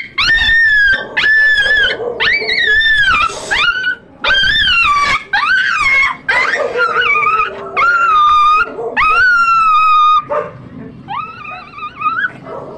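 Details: Chihuahua at a stud session producing loud, insistent high whining yelps, each about half a second to a second long with wavering, rising-falling pitch, repeated roughly a dozen times with brief gaps, faint music underneath.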